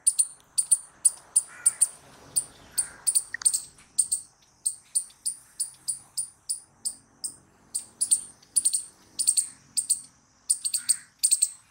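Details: Long run of crisp, high-pitched squirrel chips, often doubled, repeated several times a second with only short breaks, over a quiet background.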